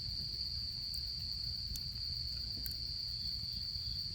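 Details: Insects of autumn singing beside a campfire while camping: one constant high-pitched ringing trill without pause, broken only by a few sharp snaps of burning wood over a soft low rumble.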